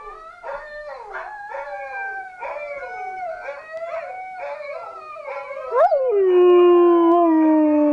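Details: A black husky/Shepherd mix sings along with dogs, howling in long, wavering, tonal notes and ending in a sustained falling howl.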